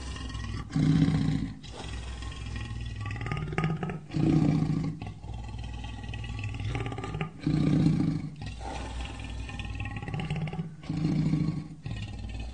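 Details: Tiger giving deep, moaning roars in a slow series, one every three seconds or so, each a short low swell over a steady rumbling background.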